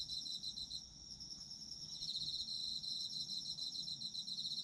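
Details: Short stretch of autumn insect song: overlapping high pulsed trills, one caller fading out near the first second while others carry on, then swelling again.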